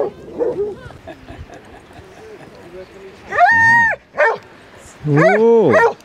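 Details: Long drawn-out bays from Basset Hounds among 37 dogs walking four miles on Exmouth beach, the 91st group walk; two sustained, slightly wavering howls follow murmured human voices and short yips.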